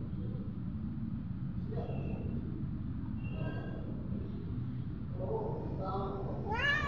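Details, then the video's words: A hungry domestic cat settling for bread meows repeatedly, several short harmonic calls spaced across the recording, the last rising and louder, over low rumbling background noise and faint speech. "Hungry cat"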